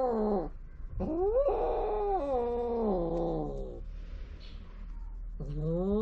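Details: Stray cats on a cat island in Japan during mating: a long, harmonic-rich caterwaul that rises, wavers and slowly falls over nearly three seconds, framed by shorter yowls at the start and end, with faint background hiss.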